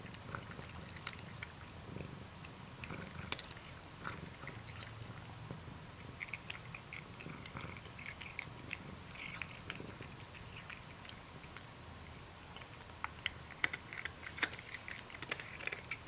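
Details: Domestic cat purring indoors: a soft, steady low rumble with scattered sharp clicks and chewing-like noises over it, in a quiet small room.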